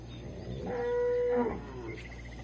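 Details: Cattle in a corral during morning hand milking on 1 March 2020 in Resplendor, Minas Gerais, Brazil, calves suckling; a young animal gives a high, steady, nasal moo lasting under a second over rumbling farmyard noise.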